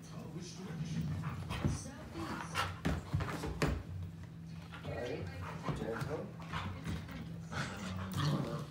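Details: Young Siberian Husky puppy in a play fight with its big sister, with scattered whines, yelps and scuffling bursts under continuous human speech in a small room.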